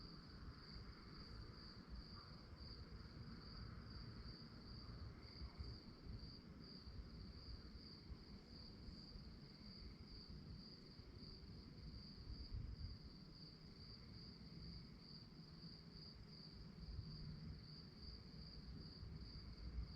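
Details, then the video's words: Crickets at night give a bright, regularly beating chirp that never stops, set against softer background hum and a steady low-frequency drone. "relaxing sounds of crickets"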